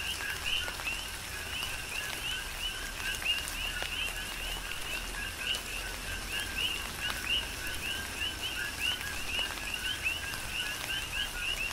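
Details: Tropical rain on Hawaii's Big Island with a dense coqui frog chorus. Many frogs repeat clipped two-note calls that rise at the end, overlapping continuously, while rain hisses steadily and drops patter nearby.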